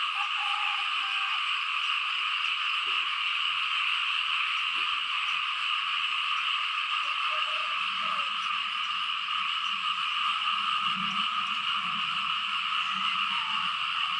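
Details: Many frogs chorusing loudly over the fields in Laos during rain. A dense, continuous shrill drone holds steady throughout, with two bright ringing layers and faint low murmurs underneath around the middle and later part.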